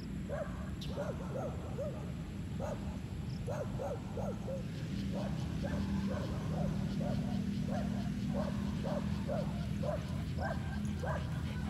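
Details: Chocolate Labrador Retrievers Apache and Kiowa, outdoors on a sunny day, give a quick run of short barks, several per second, that continues steadily across the recording over a constant low background hum.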